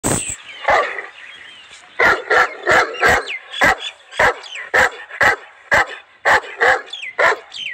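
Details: Seven-month-old vaccinated Saint Bernard at Manoharpur Shahpura, India, barking in a steady run of about a dozen sharp, evenly spaced barks, each close to the last, after a few scattered yelps at the start.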